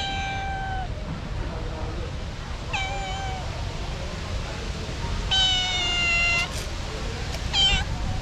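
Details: Female street cat crying and asking for food, unable to eat dry food: several harmonic meows, one near the start, one near 3 s and a louder, longer one around 5.5 s, over steady low background noise.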